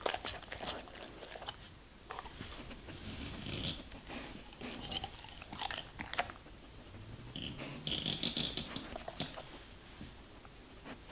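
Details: Quieter munching from a German Shepherd fed vegetables and fruits, with scattered crunches and soft mouth noises, plus a short high squeak-like tone near the eighth second.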